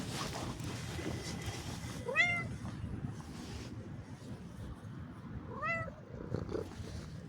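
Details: Cat meowing twice during a short walk, each call a quick, clear arched note about three seconds apart, heard over constant rustling and a low outdoor background hum.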